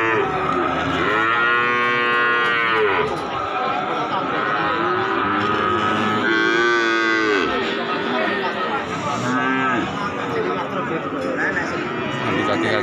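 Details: Calves at the Pasar Sapi Wage cattle market in Pati, Indonesia: several overlapping moos, each a drawn-out harmonic arc that rises and falls over two to three seconds, with a dense chorus of other cattle and faint market bustle behind.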